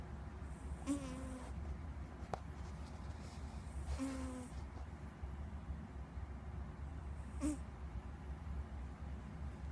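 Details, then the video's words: Pet cat Squeak asleep and snoring, two whistly, hissing breaths about three seconds apart followed by a shorter snort, over a low background hum. "Snoring cat"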